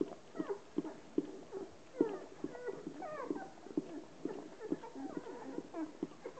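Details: Hovawart bitch Relax washing her litter of 13 puppies, ten days old; a run of short, high squeaks and whimpers bends up and down several times a second, over soft wet licking sounds indoors.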